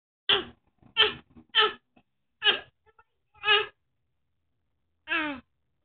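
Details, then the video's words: Alyssa, a bully-type dog, lets out six short, high, yelping barks: five in quick succession roughly every half second to second, then a pause before a final, slightly lower bark. Otherwise quiet, indoor-sounding background. "Alyssa the barking bully"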